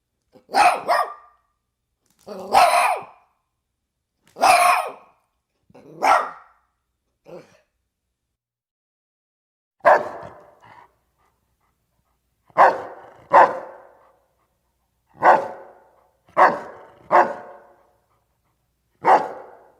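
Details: Dog barking steadily over twenty seconds, mostly in pairs and short doubles of sharp barks, with one faint soft yip midway; gaps of about one to two seconds between groups.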